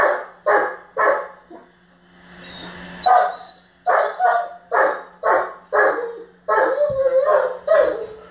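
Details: A German Shepherd whose ball has gone under the bed throws a tantrum, barking in loud, rapid bursts of repeated deep woofs.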